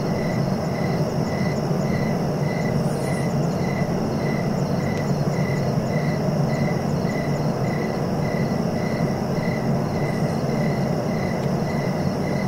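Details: Continuous cricket chorus, a fast regular pulsed trill keeping an unbroken rhythm, with a few faint higher ticks, set against a heavy, steady low-pitched noise bed.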